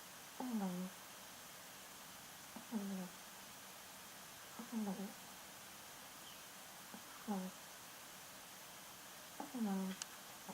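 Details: A Yorkshire Terrier's first snore, indoors. A tonal, whistling sound slides downward with each breath, roughly every two and a half seconds, five times, over faint room hiss.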